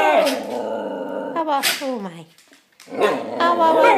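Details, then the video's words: Male Shikoku dog talking: drawn-out, harmonic yowling moans that bend up and down in pitch, two long phrases broken by a short pause, with a brief sharp yelp in between. "Shikoku talking"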